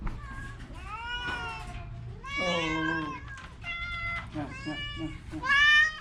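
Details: Orange cat with a cough and cold meows repeatedly, strained cries of varying length, one drawn-out and wavering, with people's voices murmuring alongside.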